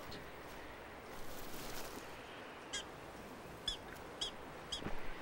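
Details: A prairie dog in a prairie dog town gives four sharp, high, dog-like barking chirps about half a second to a second apart over steady wind, warning the others of danger nearby.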